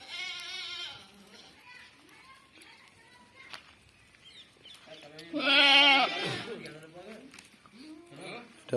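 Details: Barbari goats, all of this breed, shown for sale on a farm in Domjur; two loud harmonic bleats, wavering and nasal, one at the start and a stronger one near six seconds, with a man talking over them.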